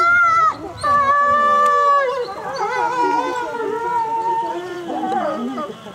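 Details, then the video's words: Captive timber wolves howling at Asahiyama Zoo on 29 May 2014 while the 16:30 announcement plays; higher drawn-out tonal howls hold and then waver downward, overlapping with fainter lower voices. "シンリンオオカミ 遠吠え"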